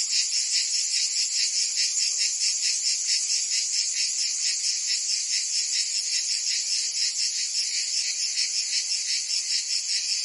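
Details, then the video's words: Many cicadas in Provence, France, in summer keep up a loud shrill buzz, pulsing rapidly and evenly for the whole stretch; no birds, voices or other noise. "Cicadas singing in France (Provence)"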